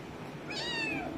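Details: Female domestic kitten indoors gives a single clear meow, rising then gently falling and fading over about half a second, with a quiet room background.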